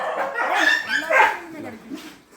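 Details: Dogs at a shelter during night feeding: a quick run of high, tonal yelps and whining barks over about one and a half seconds, overlapped by people talking in Tamil.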